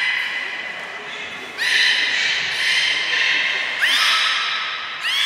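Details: Captive beluga at Port of Nagoya Public Aquarium, 3 November 2023, around feeding and the play time after it: three bright harmonic squeals, each opening with a quick upward sweep, separated by quieter stretches of hall noise.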